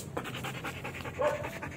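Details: Belgian Malinois during a training session, panting in quick rhythmic breaths at roughly six per second, with one short tonal whine near the end; spoken commands of sit and stay nearby.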